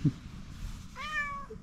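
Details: A calico cat with fluffy fur gives a single short, clear meow that rises and falls, after a brief thump and near-silence, in response to seeing a person.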